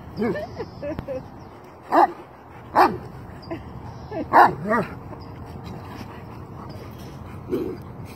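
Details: Dobermanns at play outdoors in cold weather: scattered short barks and yips at irregular intervals, about four louder barks over several seconds amid low background noise and some scuffling.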